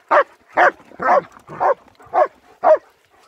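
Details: Winter walk with German Shepherds Nico and Zeeva near Hawick, Scotland, on an S23 Ultra: a run of six punchy barks, roughly two each second, evenly spaced against a quiet outdoor background.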